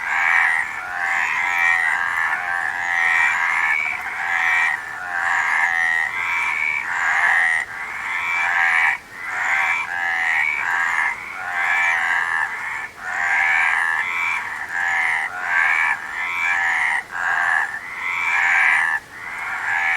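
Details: Continuous frog chorus of overlapping buzzy, pulsing croaks, rising and falling in uneven waves with brief lulls throughout.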